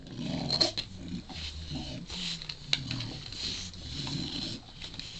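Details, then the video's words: Four-month-old Shar Pei puppy indoors, wanting a chew and making funny noises: low, rough grumbling and moaning sounds in uneven bursts, with a few brief higher squeaks and a sharp click. "funny shar-pei puppy- wants a chewie and making alot of funny noises"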